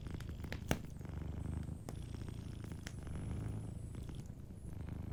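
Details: Soft purring from a sleeping cat at a warm hearth: a thick, low, throbbing purr dominates, with one crisp fire crack early and faint high crackle overhead.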